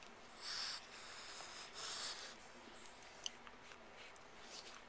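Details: Newborn French Bulldog puppies, nursing, give two thin, high-pitched squeals about a second apart; recorded March 6, 2012.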